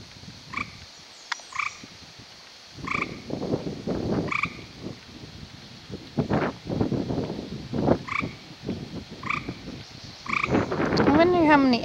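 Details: American toads mating in amplexus and laying strings of eggs in a garden pond: short chirps with clear overtones repeated every second or two, amid splashing and rustling, with a falling whistle near the end.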